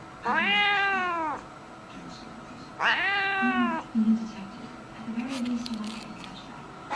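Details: Angry domestic cat giving two long, drawn-out harmonic yowls, each about a second, rising slightly then falling, separated by a pause with soft low murmurs.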